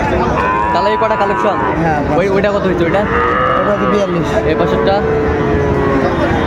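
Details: At a cattle market in Comilla, Bangladesh, on 5 September 2024, cattle give long, wavering moos, one clearer call sliding downward midway, beneath nearby talking and general crowd din.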